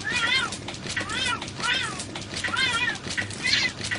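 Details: Fighting cats: a string of drawn-out, wavering yowls, each rising then falling in an arched wail, repeated roughly every second, over a steady background hiss.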